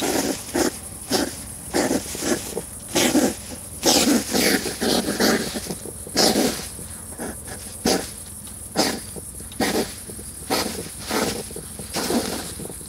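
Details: European hedgehogs living and breeding in a garden wood stack, fighting and courting during mating season; harsh, breathy snorting huffs come in rhythmic bursts about once a second, each noisy and broad, separated by short quiet gaps.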